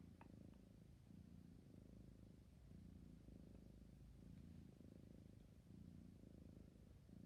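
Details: Sleepy kitten purring, low rhythmic rumbling pulsing in breaths roughly every second, with a couple of faint ticks near the start.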